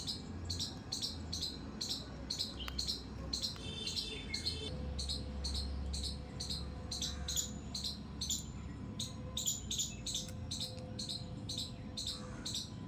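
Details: Squirrel in a terrace garden giving sharp, high squeaks repeated about twice a second, with a low steady hum and faint rustling underneath.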